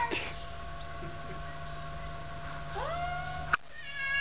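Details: Quarrelling cats give a drawn-out caterwaul, a rising yowl near the end swelling then holding steady, over a constant low electrical hum; a sharp click cuts in just before the close.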